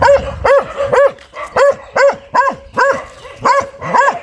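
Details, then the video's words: An aggressive dog barks steadily, about two sharp, ringing barks per second, each bark clear and evenly spaced over a quiet background. "เสียงหมาเห่า หมาดุมาก"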